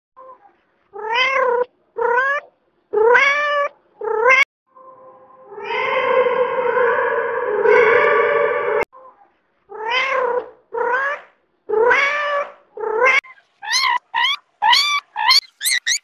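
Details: A domestic cat gives a run of varied meows, ranging from short clipped calls to a long drawn wail, in many different meow variations over about half a minute.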